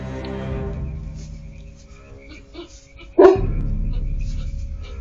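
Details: At 2 a.m. a goat's noise stirs up coyotes, and a livestock guardian dog answers them with a single deep, booming bark.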